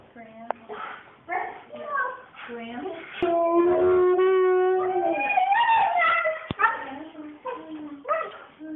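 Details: A female Siberian Husky yowls and 'talks' in wavering, voice-like bursts, with one long sustained howl, flipping out as she often does on walks.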